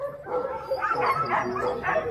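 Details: Alaskan Husky sled dogs at Snowhook Adventures in Willow, Alaska, barking together in a dense, overlapping chorus of short yaps and yips over about two seconds.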